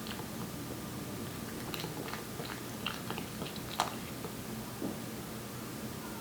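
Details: One-year-old Korean Shorthair Aeppi chewing wet cat food indoors. Wet smacks and chewing clicks come in bursts, with one sharper crunch near the middle, over steady faint room hum.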